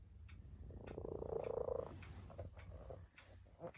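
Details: Tabby cat sleeping alongside people gives a single soft, vibrating purr of roughly a second, followed by faint scattered clicks and low room hum.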